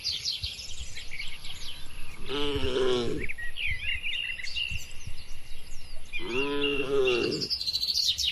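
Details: Herd cattle roaming green countryside pasture give two separate moos about four seconds apart, each lasting close to a second, against continuous chirping and trilling birds.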